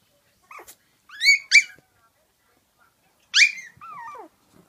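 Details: Chihuahua puppy trying to play, giving high, squeaky yips: a quick pair of sharp rising yelps, a pause, then a bright yelp trailing into a thin, falling whine, with faint soft squeaks between.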